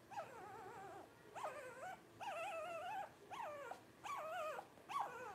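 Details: Blenheim Cavalier King Charles Spaniel puppy, one of five aged 12 days, born New Year's 2023: six repeated nasal whines, each about half a second long and wobbling in pitch, spaced nearly one per second.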